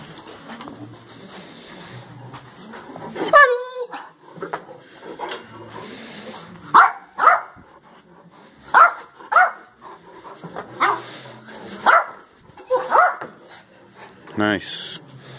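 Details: Great Dane named Perry playing at work with another dog, Zeus, who teases him with a toy while he does high jumps; short sharp barks repeated about every second in the second half, with a whine-like sweep near the end and soft voices.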